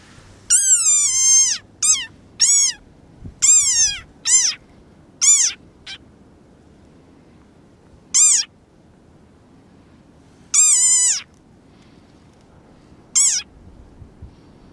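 A desert rain frog gives shrill, squeaky calls that dip in pitch, in quick bursts then singly.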